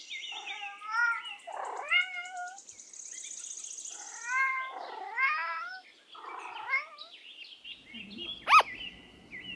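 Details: Domestic cat meowing: several short, wavering, harmonic meows that rise and fall, mixed with brief higher chirps, a high hiss and one sharp click near the end.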